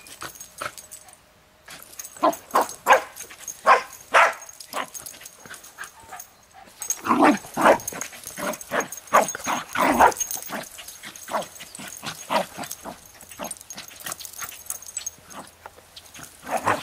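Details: Jack Russell Terrier, leashed near a highway, excitedly playing with a ball for its first time; rapid strings of short yapping barks with a brief lull, then a dense flurry of barks and scrabbling sounds.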